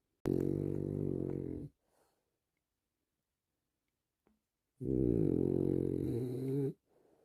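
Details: A French Bulldog relaxing indoors gives two long, loud, deep rattling snores, each about one and a half to two seconds long, separated by roughly three seconds of silence. A brief faint sniff comes after.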